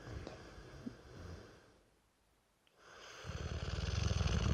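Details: Brewster, a Dorset Old Tyme Bulldog aged three, sleeping: rough breathing fades to a near-silent pause, then a deep, rattling snore swells steadily louder.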